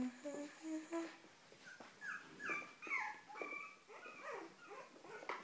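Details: Cavalier King Charles Spaniel whimpering indoors: a run of short, high, thin whines, some rising and some falling, repeated in quick bursts with brief gaps, plus faint background noise.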